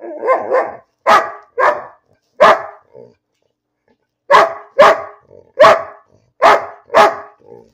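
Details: Bean, a pet dog, barks for no apparent reason: a few muffled grumbling barks, then a run of loud, sharp barks, with a quiet gap midway and a soft whine near the end.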